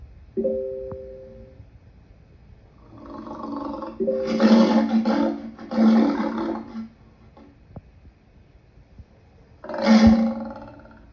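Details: A lion delivers rough roaring bursts, two run together then a third after a pause, preceded by a brief steady tonal hum.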